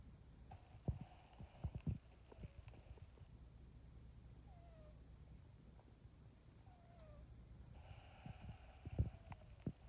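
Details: Sleeping pet cat snoring softly and squeakily; a quiet low rumbling breath runs throughout, broken by thin, short, falling squeaks every second or two and a few soft clicks.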